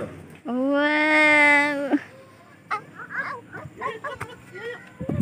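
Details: Goat being fed by visitors at the Mini Zoo in THE NICE FUNTASTIC PARK, Cianjur: one long, steady, nasal bleat of about one and a half seconds, then children's chatter and voices in the background.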